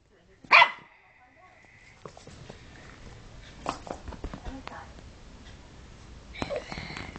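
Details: An 11-week-old Jack Russell cross Papillon puppy lets out one sharp, high yelp that trails into a thin, steady whine for about a second and a half, followed by soft clicks, shuffling and quiet indoor noise.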